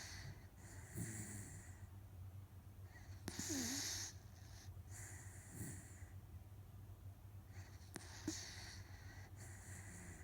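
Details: Otofu, a rescued Miniature Dachshund, deeply asleep and tired, snoring softly: breathy, hissing exhalations come in slow waves about every two to three seconds over a low steady hum, with a faint click near the end.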